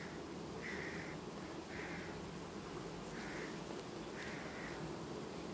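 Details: Colony of honey bees on 18 August 2019, changing its queen quietly; a steady low buzz persists, with four brief higher tonal pulses spaced roughly a second apart.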